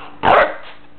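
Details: A single loud, short bark from Guiness, a Shepherd Chow mix puppy found in the road in Joshua Tree. A faint steady hum sits underneath.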